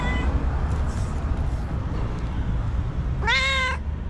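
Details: Angry white cat gives a single loud, harmonic wailing cry near the end, rising then falling, after a long stretch of steady low rumbling background noise.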